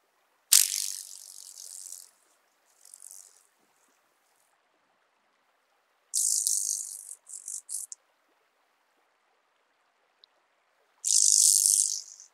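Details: Bryodemella tuberculata, the speckled buzzing grasshopper, recorded at Vorderriss, Germany, 11 August 2022. Sharp, very high rasping bursts, one long opening burst, then a cluster of short stuttering rattles and a final loud buzz, with near silence between them.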